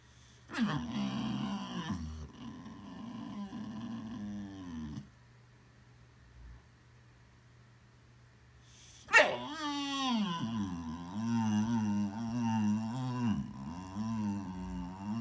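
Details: Boxer dog making funny sounds; a run of low, groaning whines and growly moans with wavering pitch, a quiet pause in the middle, then a sharper rising yelp leading into more wavering, grumbling vocalising.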